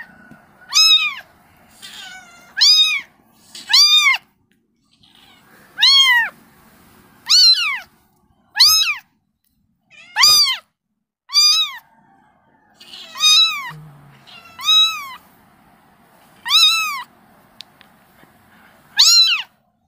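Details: Kitten crying out to its mother: repeated piercing, arched meows, sometimes in quick pairs, spaced by short silences, with a brief thump partway through.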